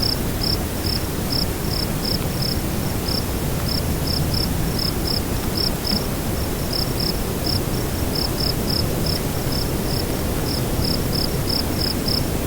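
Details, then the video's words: Nightfall cricket chirping in wind: a continuous train of brief, high-pitched pulses, spaced unevenly about two to three per second, sits above a constant deep wind roar. "Nightfall Cricket Windy Ambience"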